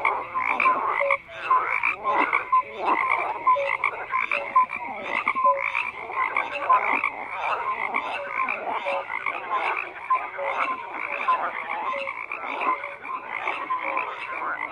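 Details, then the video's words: Many frogs calling at once: rapid, rasping croaks stacked over each other in a steady chorus, punctuated by short tonal chirps, constant throughout without pauses. "FROGS CROAKING"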